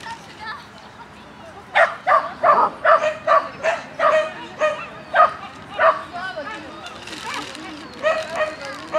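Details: A Shetland Sheepdog with its handler: after a quiet start, a fast series of high yapping barks, roughly three per second, over a background murmur.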